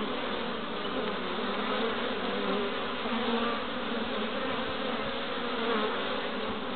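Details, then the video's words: Honey bees (Apis mellifera) busy at their hive entrance in Pembrokeshire, west Wales, on 11 March 2012, bringing in pollen; a steady, dense droning hum of many wings, with faint higher whining tones drifting in and out. "Honey Bees at the Hive Entrance"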